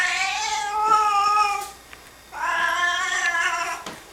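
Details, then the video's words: Indoor Singapura cat objecting to a person's sneezing: two long, loud, drawn-out meows, each about one and a half seconds, rich and slightly wavering, separated by a short pause. "Singapura cat Maki doesn't like sneezing"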